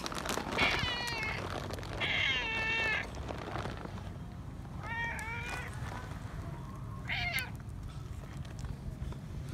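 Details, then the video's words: Friendly feral cat wanting affection and not wanting its person to leave, meowing outdoors: four drawn-out, harmonic-rich meows, the first two long and close together, then two shorter ones after pauses, over low rumbling background noise. "Friendly Feral Cat Wants Love, Doesn't Want Me To Leave - Cats Meowing"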